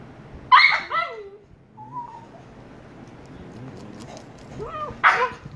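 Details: Two Shiba Inu puppies, 114 days old: a loud harsh yelp followed by a falling whine, a thin whistled whimper, quiet pause, then a rising whine and another harsh yelp at the end.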